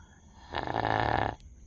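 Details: Sleeping dog giving a single raspy snore, under a second long, a broad rough rumble rising out of a quiet room and fading abruptly.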